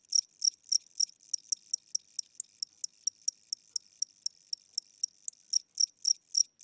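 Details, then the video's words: A cricket chirping at night inside a house, described as old or tired with weakening wings and a slow tempo; short high-pitched pulses repeat steadily about four times a second, some louder than others, with no other sounds. "Cricket Chirping Sounds: Low Battery"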